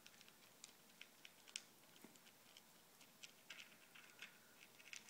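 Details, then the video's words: Izzy Riot, a pet ferret, eats from a bowl of ZuPreem kibble, FerretVite and chicken jerky indoors. Rapid, irregular crunchy clicks and bites repeat through a quiet small room. "Izzy the Ferret Chowing Down"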